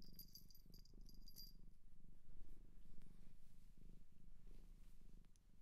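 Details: Close purring of a cat taken in from a Japanese shelter: even, low throbbing rumble rising and falling in loudness, with a few high clicks and soft scratchy touches early on.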